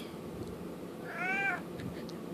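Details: Merlin, a domestic cat, meowing to ask for treats indoors: a single drawn-out, slightly rising then falling meow lasting about half a second, with a faint steady background hiss.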